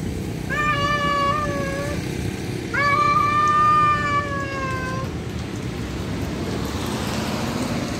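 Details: Male cat summoning a wild female for mating: two sustained, slightly falling yowls, the second over two seconds long, followed by low rumbling background noise.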